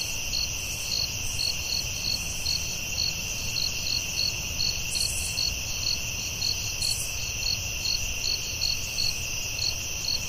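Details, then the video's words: Night crickets in the forest: a pulsing high chirp, roughly two per second, rides on a constant shrill buzz, with faint low background rumble. "Soothing Cricket🦗 Sounds at Night"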